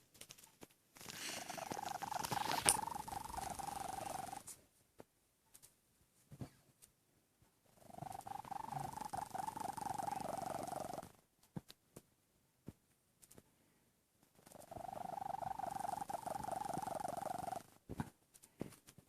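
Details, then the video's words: Tommy the domestic cat snoring in his sleep, with three long, raspy, vibrating breaths of around three seconds each, separated by near-silent pauses with occasional small clicks. "Snoring Cat"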